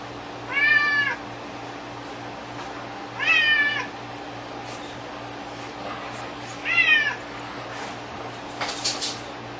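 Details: Pet cat playing with string it seems unable to part with: three separate arched, harmonic meows about three seconds apart, the last slightly softer, with a quiet steady hum and a brief click near the end.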